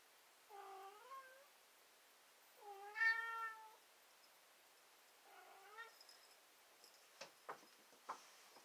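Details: A cat whines in three drawn-out, wavering meows, each harmonic-rich and slightly rising, spaced a couple of seconds apart, followed by a few sharp clicks or taps near the end.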